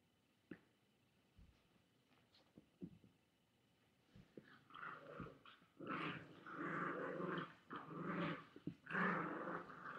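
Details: Chihuahua growling at a boy holding a toy, indoors; quiet clicks and thumps for the first four seconds, then sustained rumbling growls swelling in waves from about five seconds on.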